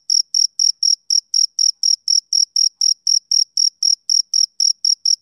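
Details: On a summer evening a male cricket keeps up rapid, regular high-pitched chirps, roughly four each second, with a faint ringing overtone and nothing else audible.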